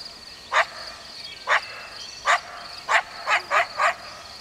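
A coyote gives a series of short, sharp barks at uneven intervals over a steady high hum.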